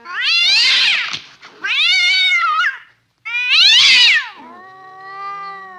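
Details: Domestic cat giving a series of loud, strained, drawn-out meows, three harsh wailing calls in quick succession followed by a softer, steady, lower tone fading out.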